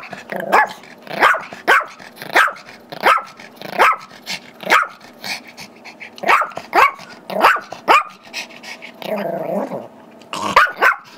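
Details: Wanting the squeaky toy held by two-year-old Yorkie Tigger, five-year-old Chihuahua/Yorkie mix Gizmo barks steadily on Feb 10, 2011. Short, high yaps repeat about every half to three-quarters of a second, with a brief growly pause before the barking resumes.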